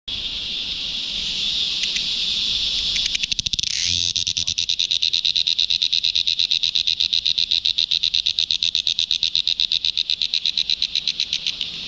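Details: A cricket, recorded up close, gives a piercing, high, buzzy trill, briefly interrupted by a soft rustle or knock, then resumes as a fast, steady series of sharp pulsed chirps to the end.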